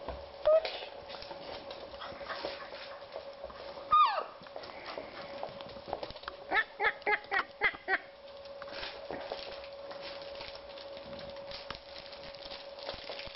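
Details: Cocker Spaniel puppies in their ninth week at play: a sharp high yelp near the start, another falling squeal around four seconds, then a quick run of about six short yips, over a constant hum.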